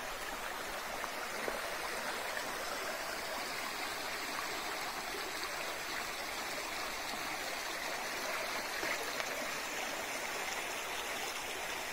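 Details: Only the steady rush of flowing stream water is heard, with no distinct animal calls.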